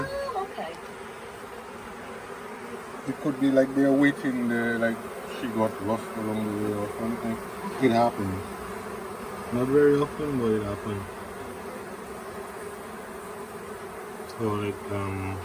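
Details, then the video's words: Honey bee swarm late in the year at the Tamarind Tree Hotel, several days on the property and being coaxed into a nuc box; a dense, continuous buzzing hum runs throughout, with bursts of human voices breaking in. "Catching a Bee Swarm at Tamarind Tree Hotel"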